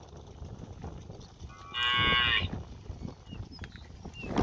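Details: Cow in a village standing near the house, calling for grass food; a single short moo of under a second, loud and harmonic, set against soft rustling and faint outdoor noise.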